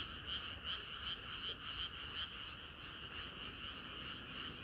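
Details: Chorus of frogs on a hot summer night, a continuous overlapping croaking with rhythmic pulses roughly every third of a second and a faint low background hum.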